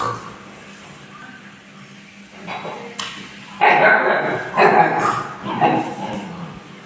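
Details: Siberian Husky puppy playing with its mother, a quiet start followed by three rough, harmonic yelping barks about a second apart.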